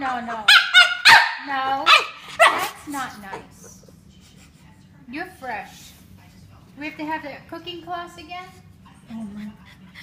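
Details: French Bulldog making funny noises: a loud cluster of barking, whining bursts at the start, then quieter, scattered short whimpers and grumbles with sliding pitch across the remaining seconds.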